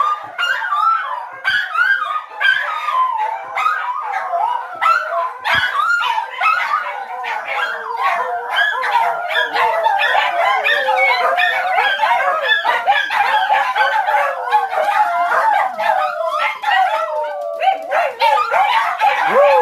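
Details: Domestic dog howls in a long, loud chorus of wavering, warbling tones mixed with short yips and yelps, nearly unbroken for the whole stretch.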